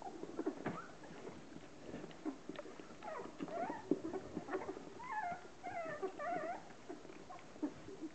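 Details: A Hovawart mother washing her 10-day-old puppies from a litter of 13: scattered soft squeaks and grunts, then a run of high wavering whimpers with rising-falling pitch, over quiet licking and shuffling sounds.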